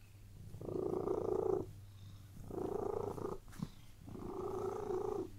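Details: Contented cat purring while laid on a bed: three drawn-out rumbling purr waves with a brief click in a pause midway, over a steady low hum.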